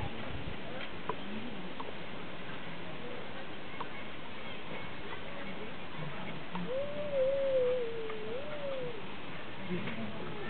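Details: A zoo red ruffed lemur gives a single drawn-out, wavering mewing whine over a murmuring background of people.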